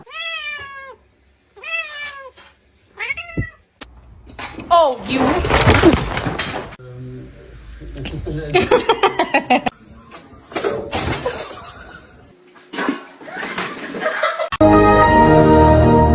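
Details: A house cat meows three times in quick succession, each a short falling cry about a second apart, before people talk and shout over rustling and other household noise.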